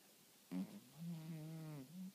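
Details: Sleeping cat snoring loudly indoors: one drawn-out, droning buzzy breath of about one and a half seconds with a low steady tone, set in a quiet room.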